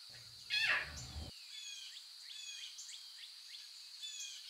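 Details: Lion cub in the wild, living with its mother, giving a single short, bright, downward-sliding mew, followed by continuous high-pitched twittering of birds or insects in the background.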